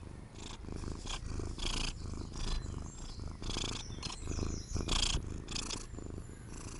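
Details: Purring from a Siamese cat, a low continuous rumble with a rhythmic pulse, mixed with brief rustles and clicks.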